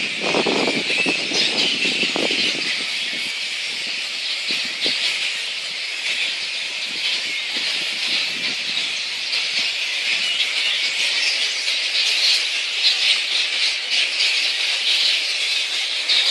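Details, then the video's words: Megabat (flying-fox) sounds from Boonah, Queensland, Australia, dated 02/01/2014: continuous shrill chattering and squealing from many overlapping voices, with brief lower rustling crackles near the start. "megabat (flying-fox)"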